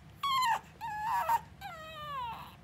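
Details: Young pug puppy, two days into its new home and alone with a man fearful of animals, whines three times: a sharp falling cry, a wavering whimper, then a long, slowly sinking plaintive whine, indoors.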